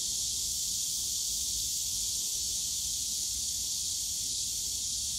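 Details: Summer cicada chorus in a bamboo forest at Yongsan Family Park, a continuous shrill buzzing wall of sound that never pauses over five seconds, over a soft low background hum.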